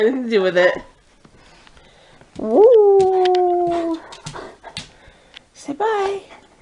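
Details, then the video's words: Coonhound and Chihuahua in a howling conversation indoors, with a third dog staying out of it: long wavering howls rising then holding steady, one sustained near four seconds, separated by short pauses, with faint clicks and rustling between calls. "Otis and Lulu Sing the Blues"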